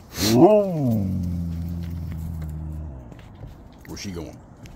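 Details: Pet Siberian Huskies greeting dad as he gets home with rowdy howling: a loud arching yodel-like cry rises and falls, then holds a flat low tone for about two seconds, followed by a shorter wavering howl.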